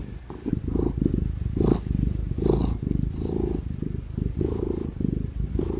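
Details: Loud, close purring from Tig the ginger cat during cuddles and petting: a rich, throbbing low rumble in steady breath-paced bursts, almost continuous, with light rustling touches and a laptop fan in the background.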